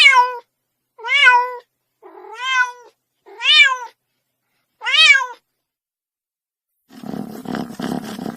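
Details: Five quick, bright kitten meows in steady succession, each arching up and down in pitch, followed by a burst of rough, low rumbling noise at the end.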